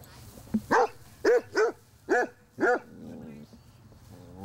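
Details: Pet Basset Hounds meeting a newly adopted Chihuahua puppy at home: five sharp, harmonic barks in quick succession over about two seconds, then a quieter whine and soft background noise.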